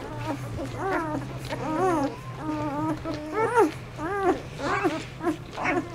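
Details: Mother dog grooming her ten four-day-old puppies indoors; a series of short, high, squeaky whimpers, each rising and falling, about one per second, over a steady low hum.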